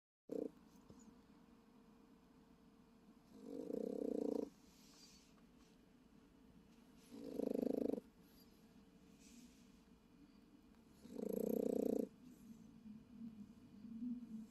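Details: Japanese Chin dog sleeping in a car overnight, snoring in soft rasping bursts about one second long, roughly every three to four seconds, with quiet low hum between.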